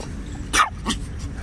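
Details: A Shih Tzu, playing with its owner, gives two short, sharp barks, the first louder than the second; Shih Tzu.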